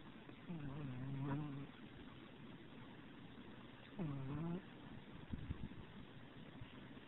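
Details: Bella, a pet Chihuahua, snoring while asleep with her eyes rolling; two low rasping snores about three seconds apart over a steady background hum, with a few soft knocks afterwards.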